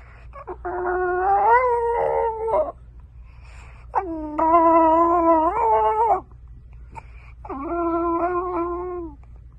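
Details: French bulldog puppies sing out in three sustained, quavering howls about two seconds each, rising at the start and trailing off, with a constant low hum in the background.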